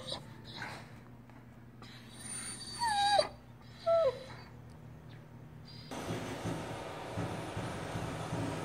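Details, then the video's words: Kobe, a Doberman Pinscher, cries with two high, thin whining whimpers that slide downward, the second shorter, over a low hum; a broad hissing noise takes over afterward. "A crying Doberman Pinscher"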